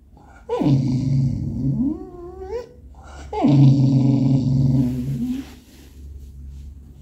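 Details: Impatient and talkative, English Cocker Spaniel Robby vocalises indoors to get attention on 18 September 2022: two drawn-out moaning grumbles, each starting higher and sliding down into a deep rumbling, separated by a brief rising whine.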